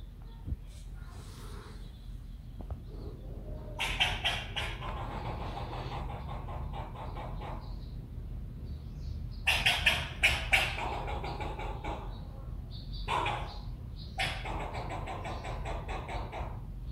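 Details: Squirrel chattering in three separate bursts of rapid, harsh, clicking pulses, each lasting one to two seconds, with quiet gaps between them over a low background rumble.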